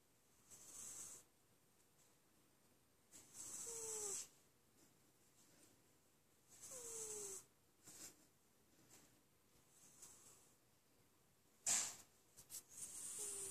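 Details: Lessa the cat snoring while asleep: breathy, hissing snores at uneven intervals, several carrying a thin whistled tone that slides downward, with quiet pauses between breaths.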